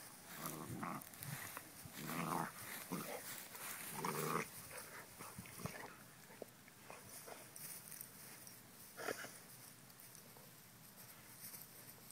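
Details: Young Basset hound growling while it attacks the household's dominant dog: throaty, grumbling bursts come in clusters near the start, then thin out to occasional softer rumbles amid rustling movement.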